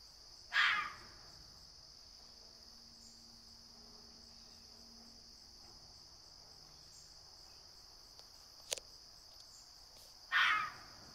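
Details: Young fox kit from a neighbouring litter trying out alarm calls while heading out early one morning. Two harsh, raspy screams come about ten seconds apart over a constant high insect drone.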